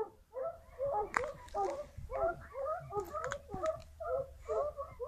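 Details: Wild boar being driven out of a maize field squeal and grunt in a restless chorus of short, nasal, rising-and-falling squeals tumbling a couple of times a second, with sharp clicks and snaps scattered through.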